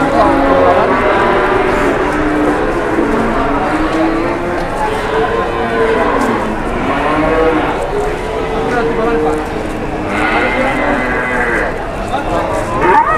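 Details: Big cattle at an Indonesian market, a chorus of overlapping moos, some rising then falling in pitch, continuous over the whole stretch with constant background crowd noise.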